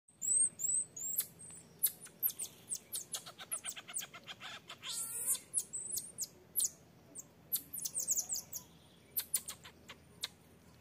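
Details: Infant marmoset begging its mother to nurse while the mother strictly refuses: a rapid, uneven series of high, sharp chirps and twitters, with clusters of short clicks and a brief wavering trill midway.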